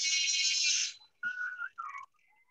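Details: Beluga whale (Delphinapterus leucas) contact call, used to keep contact with others of the group: a broadband buzzy burst, then tonal whistles cutting through the chatter of other whistling belugas.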